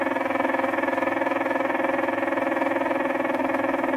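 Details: Aphrodes makarovi leafhopper in mating behaviour, giving a continuous low, buzzy drone with strong overtones, regularly pulsing about three to four times per second throughout.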